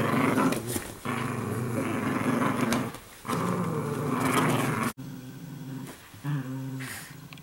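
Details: Italian Greyhounds, several females, growling while playing with each other in everyday play: sustained low, rumbling growls in three long bursts of roughly one to two seconds each, with brief pauses, then a short final growl.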